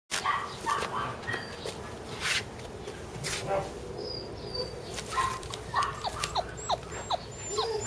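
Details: Sibling Border Collie puppies, a brother and sister, give short, high whines and yelps, some sliding up or down in pitch.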